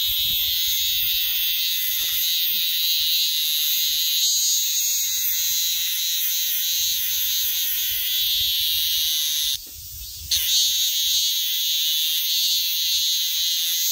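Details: Minmin cicada screaming in a continuous loud high-pitched buzzing drone lasting many seconds, interrupted once by a short dip and a crackling break before resuming.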